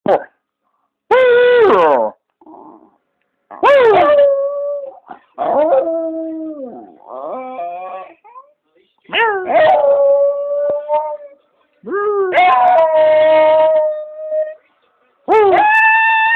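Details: Jack Russell Terrier. A Jack Russell Terrier gives a run of sustained, tuneful howls, each rising sharply then holding or sliding downward. The notes come in uneven bursts with brief yips and whimpers between them.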